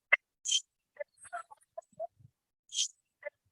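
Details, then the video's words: Eastern Coyote in Connecticut barking after killing a rabbit, with the rabbit also heard: short scattered barks and yelps in the low-to-mid range, broken by two shrill high squeals near the start and end, set against near silence. "That one's a little sad, but that was a rabbit and a coyote barking after it had killed a rabbit."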